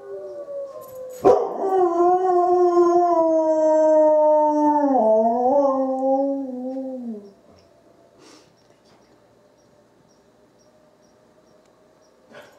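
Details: Izzie the dog howls in answer to wolves: one loud, sustained, harmonic-rich howl holding steady before bending downward and fading out after about six seconds, followed by near silence and a faint distant tone.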